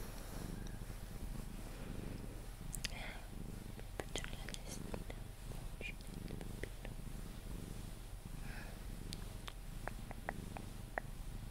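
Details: Sphynx cat Pepe purring while being cuddled until asleep; a soft low rumble runs underneath whispered human speech, light kisses and clicking rustles.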